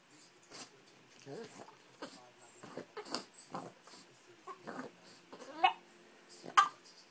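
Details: Boston Terrier speaking his mind, demanding a trip to the park after being ignored; a string of uneven moaning, yowling bursts with rising and falling pitch, roughly one per second, louder toward the end.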